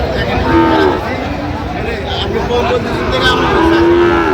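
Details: Sahiwal bull calf at Raniganj cattle market in Bangladesh, held Mondays and Thursdays; short lowing moos at the start and end, under steady market chatter and crowd noise.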